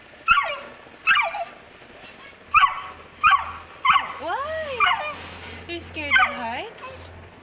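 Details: Fearful two-month-old Saint Bernard puppy at the top of the stairs: five sharp, evenly spaced yips about one second apart, then drawn-out arching whines, with a woman's coaxing voice in the background.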